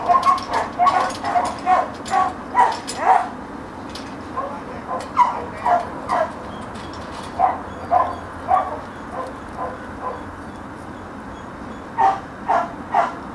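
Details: Pat, a friendly, athletic one-and-a-half-year-old working dog that responds to voice commands, barks in quick runs of short clipped barks, roughly two per second, with brief pauses between bursts against a steady background hiss.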